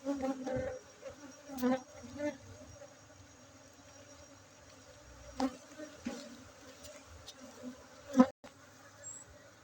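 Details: Honey bees at a bee-keeping site in Bener Meriah, Aceh, during a honey harvest on 7 August 2023: a steady low droning hum with a higher overtone, broken by occasional knocks and clatter.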